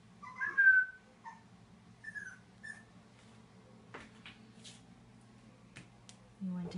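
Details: Black and white Boston Terrier puppy indoors beside a large empty bathtub, whimpering because he wants a bath: high thin whines early on, two longer falling whimpers, then quieter shuffling and a low hum throughout.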